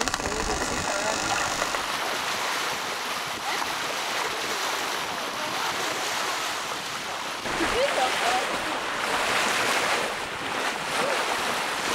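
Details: Sea waves and wind roar steadily alongside a boat at sea, with faint human voices mixed in and no animal calls heard.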